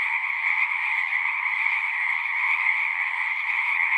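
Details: A chorus of singing frogs forms a dense, unbroken wall of trilling with two steady bright pitch bands, one high and one middle, holding level throughout with no pauses or other sounds.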